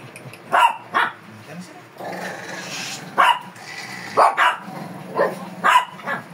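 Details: During grooming in Pangasinan a fierce Shih Tzu gives sharp, clipped barks in small bursts, some close together, with a stretch of rustling handling noise and murmured human voice in the middle.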